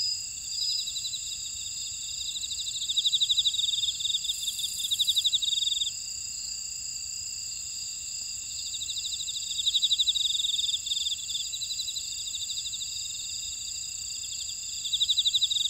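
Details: Insects calling in a buckwheat field at Ora-dong, Jeju City, on volcanic Jeju Island, South Korea: a steady high ringing chorus with several layered trills, including bursts of rapid pulsed chirping that swell and fade every few seconds.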